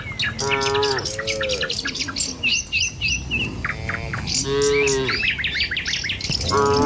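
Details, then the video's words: Tame cattle herded in a group along a village road in the morning on their way to a field to feed. Drawn-out, tonal moos come at the start, middle and end, mixed with busy, repeated chirping from birds. "Suara Sapi Moou Sepanjang Jalan Desa"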